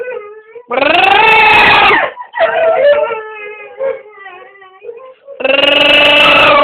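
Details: A funny noise from Jessy, a pet dog, indoors: loud, strained howling bursts alternate with softer wavering, whimpering tones that slide up and down; a final loud, crying howl rises at the end.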